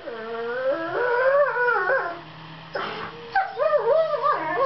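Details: Two borzoi puppies of seven months, Velikij Pravda and Velikij Petrova, in a fight-play duet of reassuring sweet noise; sliding, wavering howl-like whines, a brief breathy burst, then quick undulating yips and moans.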